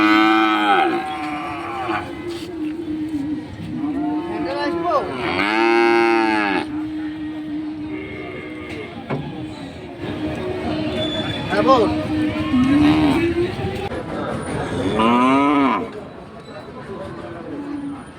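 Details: Several cows, five together, lowing at a village market: long harmonic moos and shorter bellows overlap across the recording, with a steady tonal hum in the background and faint crowd noise.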